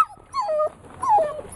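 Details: Dog whimpering, wanting to play: two high, drawn-out whines that slide downward, the second louder, with quiet gaps between them.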